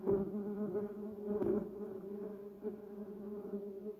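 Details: Softer droning of bumblebees around a yellow cassia bush and Duranta erecta, a low harmonic buzz that rises as a bee passes close, then eases away with a brief tap partway through.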